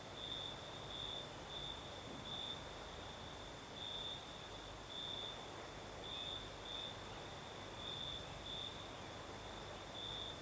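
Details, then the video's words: Night chorus of crickets in Crimea's south under a gentle night breeze, the pure high-pitched chirps coming in short bursts roughly every half second to second against a soft continuous rush of air. "Звук ночи. Юг. Крым. Сверчки поют."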